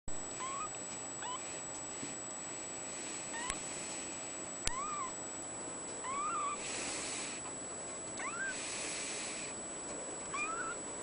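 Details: Blue point mitted male Ragdoll kitten at a cattery, recorded 02/28/14, giving about six short, high, thin meows that rise and fall, spaced roughly a second apart, over a quiet background with a steady high-pitched whine and a couple of clicks.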